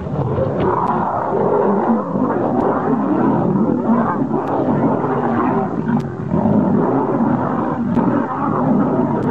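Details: Lions in a dangerous fight, a continuous harsh mass of low rasping snarls and roars that never lets up, with a few sharp clicks scattered through.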